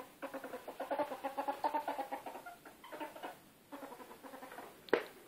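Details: Bella, a pet female ferret and former hunting ferret now kept indoors, dooking during play, a giggle-like sound: rapid soft clucking pulses in quick chattering runs, a short pause, then more clucks and one sharp knock near the end; recorded on a phone.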